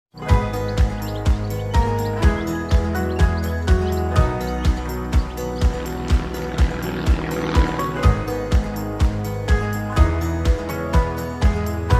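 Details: Loud rhythmic music with a steady thumping beat and bright jingles plays throughout, with no animal voice.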